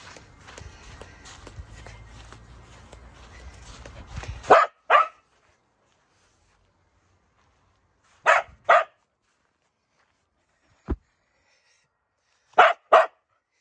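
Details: A corgi playing with another dog gives sharp, paired barks separated by pauses of a few seconds.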